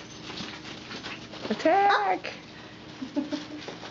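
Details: Four-week-old puppies, indoors with Mama Valentine, filmed on 18 March 2013; a short whining whimper rises and falls mid-clip, with a fainter yelp near the end and a person speaking over a steady background hum.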